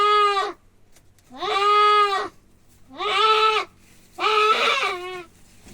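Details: Male goat being castrated, giving four loud, drawn-out bleats in a wavering, nasal tone, each lasting nearly a second and separated by short pauses, with no other clear sounds.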